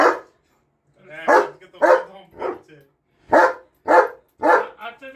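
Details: A German Shepherd barks in loud, harsh bursts, roughly two per second, while people nearby talk about taking down decorations.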